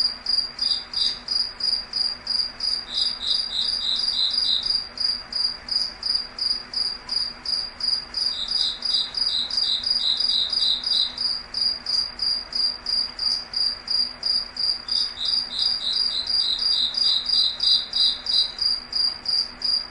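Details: Crickets sing through the night in a foggy forest, two voices overlapping: one gives steady high pulses about three per second, while a slightly lower one joins in periodic runs. A soft hiss and low hum sit underneath.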